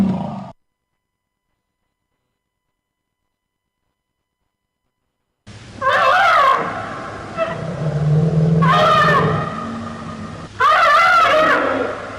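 Elephants give loud, harsh, brassy bursts of trumpeting over a low rumbling background.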